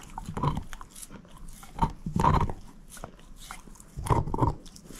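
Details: Moose, a female shepherd mix dog, eating a bone indoors: loud crunching bites come in uneven bursts about every second or two, with quieter gnawing between and no talking.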